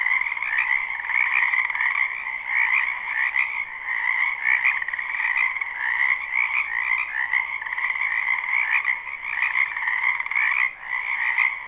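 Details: A dense spring chorus of many frogs from a wetland behind a house, recorded live without looping; overlapping trilled croaks form a steady band of sound with two strong pitch layers, swelling and dipping slightly throughout.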